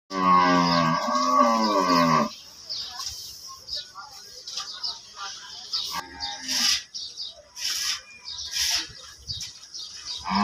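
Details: Cattle at a busy cattle market in Dhaka, Bangladesh, held before Qurbani: one loud, drawn-out harmonic moo lasting about two seconds, followed by market bustle with clatter and distant voices.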